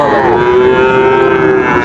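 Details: Sahiwal bull calf at Raniganj cattle market, Dinajpur, 30 September 2024: one steady, drawn-out moo held for more than a second, with crowd murmur behind.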